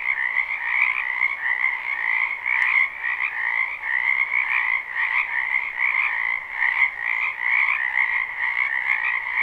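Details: Spring wetland frog chorus, recorded live behind a house: a continuous, crowded wall of fast croaking trills layered in two even bands, pulsing slightly in loudness, with a couple of faint clicks and no other animals.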